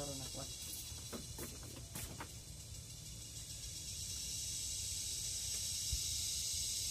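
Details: Kuliglig, the Philippine cicada, droning shrilly in the forest; several sharp clicks in the first two seconds, then the hissing buzz grows louder and steadier.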